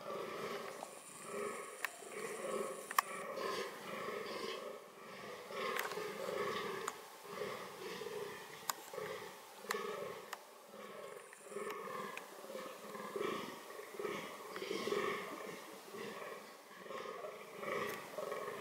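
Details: Fallow deer (Dama dama) shown in reproductive behaviour; low, rough grunts repeat in a steady pulsing series throughout, somewhat muffled, with faint clicks and knocks in the background.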